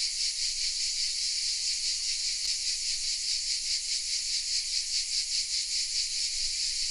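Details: Cicadas hidden in oak trees in the village of Vézénobres, south of France, fill the air with a steady, shrill, hissing buzz that swells gently a couple of times each second.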